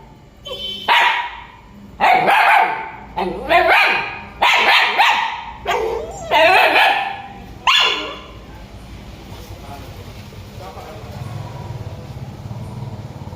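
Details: Dog barking loud in a rapid run of about seven harsh barks over the first eight seconds, then fading into a low steady background hum.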